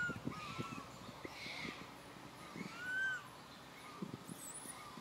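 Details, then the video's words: Young monkey Santo asks his mother Sara for milk with sad crying: thin, rising-and-falling whistled wails, the strongest at about three seconds, over repeated tapping and rustling noises and a brief high squeak. "Little Monkey SANTO feels sad and cries so sadly call Mama SARA came to take care of him"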